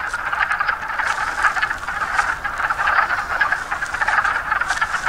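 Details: Wood frogs calling from a pond on a mountaintop near the Appalachian Trail in Pennsylvania, a dense continuous chorus of short clucking, quacking croaks overlapping steadily, with faint wind in the background.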